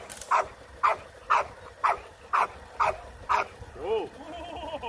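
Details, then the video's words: Rottweiler during guard training of puppies for high-performance guard work, barking in a steady series of seven sharp mid-pitched barks about every half second, followed by a wavering whine-like sound at the end. "Porque o Rottweiler está voltando a ser o melhor Cão de Guarda"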